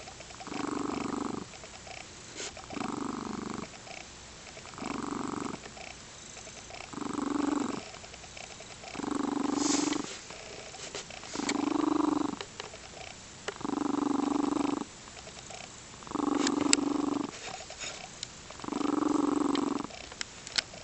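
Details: Contented purring from Crystal, a happy female Lynx Point Siamese cat. Nine buzzing, rumbling phrases pulse in a regular rhythm, roughly one every two seconds, with soft gaps for breath and faint clicks between.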